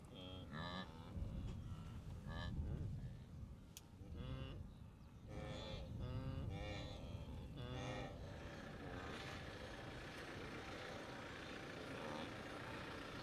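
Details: Blue wildebeest herds in the Great Migration near the Moru Kopjes in the western Serengeti, April 2012; a burst of nasal honking grunts over a deep rumbling background, then fading into steady low noise.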